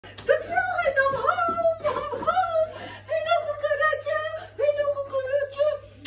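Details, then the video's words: Molly, a female Boerboel, returning from a walk and excited to find her owner home: long, high, sustained whines with rich overtones, sliding up and down in several drawn-out notes, with brief human voices. "Boerboel’s excited Mumma is home"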